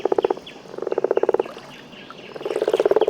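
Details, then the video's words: Frogs in the Congo basin forest add trills to the watery atmosphere: rapid pulsed trills in bursts of about a second, broken by short pauses, with faint higher chirps behind. "Los trinos forestales de los anfibios añaden sus voces a la atmósfera del espacio acuático."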